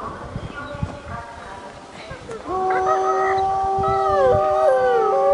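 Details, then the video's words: Gray wolves at Asahiyama Zoo break into long, steady howls, several voices overlapping at different pitches. "オオカミの遠吠え"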